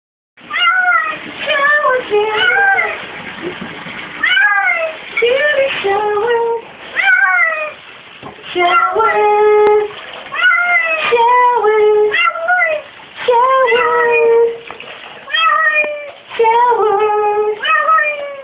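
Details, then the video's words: A female cat talking while being given a shower, in a near-continuous series of drawn-out, wavering meows that rise and fall in pitch, some said to sound like the word "shower". "My adorable kitty really talks!"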